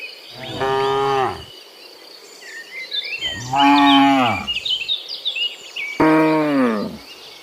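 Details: Cows mooing in the morning while returning from the field to the pen: three deep, drawn-out moos about two seconds apart, one falling in pitch at the end, with small birds chirping busily in the background.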